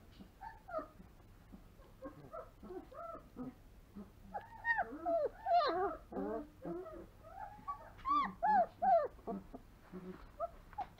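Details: Three-week-old longhaired German Shepherd puppy, born 26 September 2020, whimpering and yelping: high, arched, wavering whines in quick bursts, some rising then falling, several loud runs close together, with a faint low hum beneath and a person's voice nearby.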